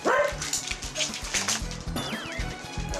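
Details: Four dachshunds from a three-generation family (mother, father, son and grandson) bark and yip in sharp, overlapping bursts at a visitor entering their home, while people talk over them.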